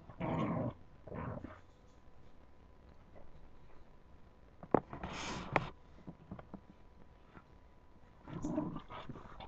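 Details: Puppies at play: short low growls at the start and end, with scattered clicks and scuffling in the quiet middle.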